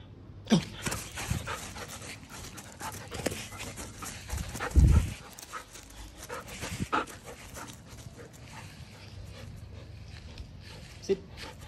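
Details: Saku, a silver standard poodle, happy after being let into the back yard after rain, pants steadily with soft whimpers and scattered thumps and scuffles.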